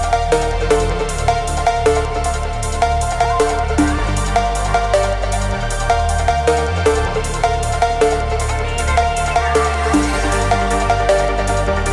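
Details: Loud electronic dance music with a steady beat and heavy bass plays throughout, with no animal sound heard.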